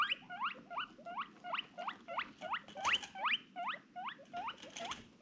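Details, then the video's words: Female pet guinea pig calling in fast, repeated upward-sweeping squeaks, roughly two to three each second and fairly even, over a steady low rustle and some crackling noise. "funny guinea pig noises"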